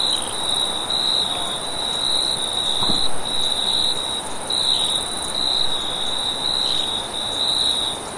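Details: Field crickets calling at night across a vast wheat field: a bright high trill in pulsed segments of one to two seconds, a faint upper shimmer, steady wind beneath and a brief soft thump near three seconds.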